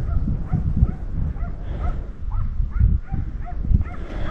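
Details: Dog barking from below a hillside, likely near a shepherd, at a distance; short arched barks repeated about every half second over strong low wind rumble and handling noise.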